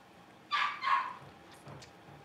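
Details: Young blenheim Cavalier King Charles Spaniel puppies from a litter of five born at New Year, in a home puppy pen, learning to bark: two quick, sharp high yips half a second apart, then faint rustling.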